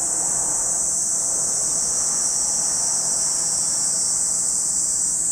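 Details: Cicadas at Lake Kamo, Sado City, Niigata Prefecture, Japan, keep up an even, high, sizzling drone from start to finish over a faint low background rumble.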